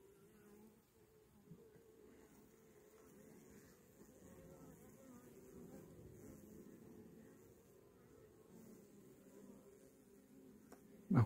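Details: Honey bees from a caught swarm, receiving a young queen, sprayed with sugar syrup: a steady low hum layered in several bands, fairly even throughout, ending with a sharp knock.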